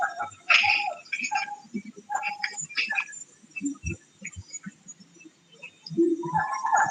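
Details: Siamang song replayed from a recording. The species is the largest gibbon, heard 3 to 5 km away in Peninsular Malaysian forest. Loud harmonic whoops and barks come in clustered bursts, ease into a quieter stretch, then a rising call closes the segment.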